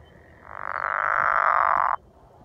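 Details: A pickerel frog calling at Hollins University gives a single low, snoring croak that swells in volume and lasts about one and a half seconds.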